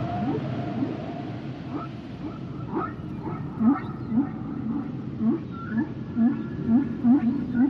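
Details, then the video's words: Humpback whale song with a rapid series of short upswept whoops, about two per second, growing louder toward the end, with faint higher wavering tones overhead and steady underwater rumble beneath. "Sounds and Songs Of The Humpback Whales"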